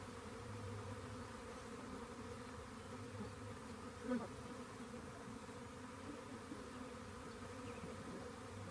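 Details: Steady droning buzz of a honey bee swarm found by a rain gauge, softer and even, broken once midway by a short sharp tap.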